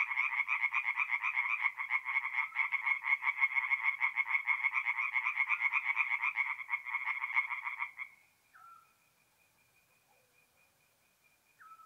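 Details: Tree frogs at a forest pond by night in mid-April, north-east Italy, calling in a thick chorus of rapid raspy croaks for about eight seconds, then stopping abruptly, leaving a faint distant trill and a couple of short whistled notes.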